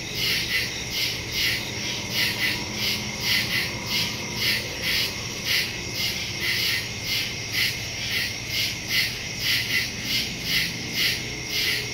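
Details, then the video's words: Crickets singing in the woods at night, September 2, 2023, recorded with a Shure MV88+ on a Samsung phone; clusters of rapid shrill chirps throb about once a second, several insects overlapping in a dense chorus. "Crickets in the woods at night"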